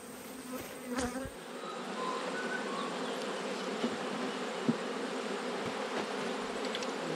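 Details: A colony of honey bees hums steadily while its hive is opened in autumn after swarming. A thick, even buzzing drone continues throughout, with a few faint clicks and knocks.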